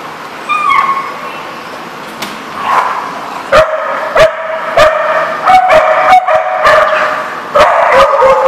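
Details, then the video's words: Dogs recorded April 21, 2014, giving sharp barks and yips mixed with drawn-out tonal whines, in irregular bursts that grow busier toward the end, with clattering knocks between calls. "The Barking Lot"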